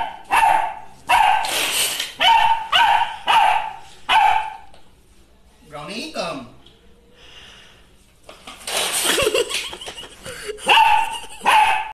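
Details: Beagle barking in repeated loud bursts roughly once a second, a pause with a swooping tonal sound and speech in the middle, then barking resumes in quick series.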